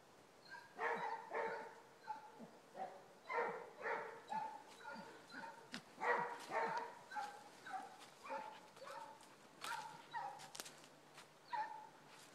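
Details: Basset Hounds working a rabbit trail, giving bursts of harmonic baying notes, irregular and overlapping, fading in and out with pauses near the end.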